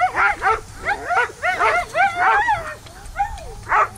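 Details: Three Samoyeds at lure coursing, chasing an artificial lure: a rapid run of excited, yodelling yips and whines with arching, bent pitch, several overlapping, roughly every quarter to half second, over low outdoor rumble.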